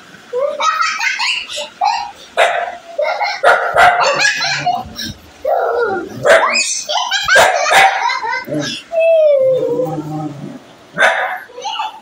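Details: Angry dog barking in loud, harsh bursts in quick succession, with short yelping notes and a rising whine near the end, mixed with people talking.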